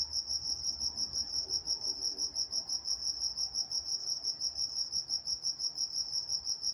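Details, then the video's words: Crickets chirping after dark in Walnut, California, a bright high trill beating steadily around three times a second, joined by a fainter higher band, background otherwise quiet. "Nature Sounds Night Time Crickets in Walnut, California"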